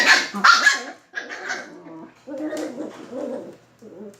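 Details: Playing Shiba Inu and Beagle puppies: two sharp loud barks, then a quick string of rougher, growly yaps and short whining barks that trail off, roughly two to three per second.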